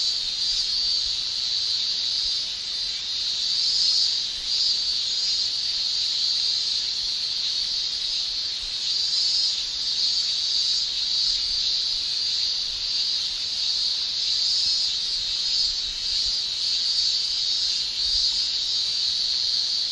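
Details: Summer cicada chorus in Japan, males singing with their tymbals: an unbroken, high-pitched electric shrill holding steady throughout, with only slight wavering in loudness and no other sounds standing out.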